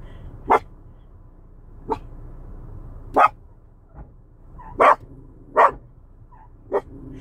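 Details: Chocolate cocker spaniel reacting to wiper blades: six or seven sharp, short barks spaced about a second apart, each a brief broadband burst, over a steady low hum.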